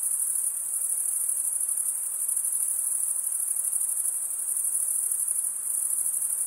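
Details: Crickets stridulating by rubbing one wing's top along the toothed vein of the other: a dense, unbroken high-pitched shrill trill, steady in loudness, with a faint fine pulsing and no other sounds.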